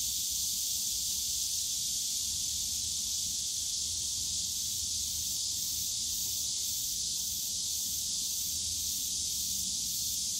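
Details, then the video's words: On a summer day in Yongsan Family Park's bamboo grove, many cicadas make a steady, high, sizzling drone, with a faint pulsing flutter along its top edge and a distant low hum. "용산가족공원 대나무숲 매미소리"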